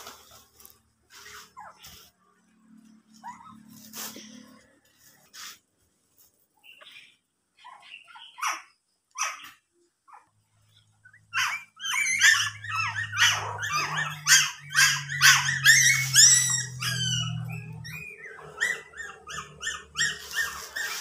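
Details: A pet dog whimpering indoors: sparse soft squeaks at first, then a dense run of high, wavering yelps and whines in the second half over a low steady hum.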